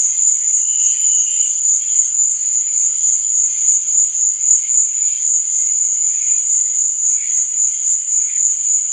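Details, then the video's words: A constant, piercing trill of crickets at night, unwavering in pitch, over a scatter of quieter, lower chirping bursts. "Cricket Sound"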